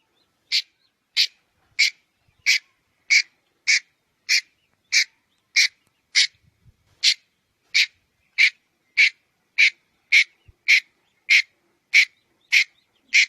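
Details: Red-headed squirrel giving a harsh, raspy chuck about every 0.6 seconds, roughly twenty notes with one brief pause midway; background otherwise quiet.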